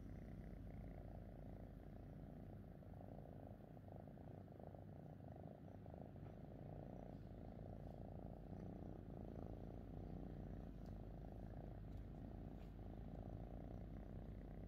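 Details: Fifi, a pet cat content with its owner, purrs without pause: a low, steady rumbling hum with a fine pulsing texture that carries through the whole stretch, over a faint soft background hiss.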